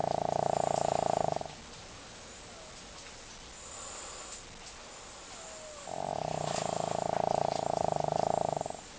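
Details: Leo, a pet dog, in a deep sleep and producing big snores. Two long, droning, rasping snores open and close the stretch, separated by a quiet pause of about four seconds.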